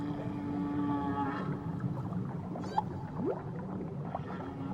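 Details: Whales off Tahiti giving long, steady, low moaning tones with layered harmonics, then a quick rising sweep near the end, over a constant underwater hiss and rumble.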